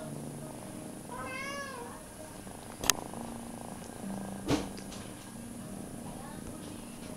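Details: Foster kittens: one kitten searches a male kitten's belly for a nipple while a cat being held close purrs loudly; a short wavering meow with rising-falling harmonics sounds early, then two sharp knocks and a steady low purring hum.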